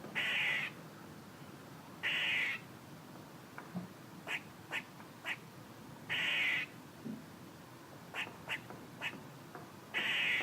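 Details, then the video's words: Squirrel calling with four loud, harsh, buzzy bursts every two to four seconds, and clusters of brief, sharp chucks in between. "A squirrel making noises"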